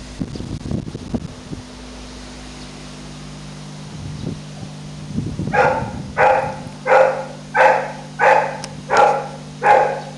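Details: French Bulldog puppy, after some low rustling and knocks, launches into six regular barks about one every 0.7 seconds, each short and harmonic, steady hum in the background.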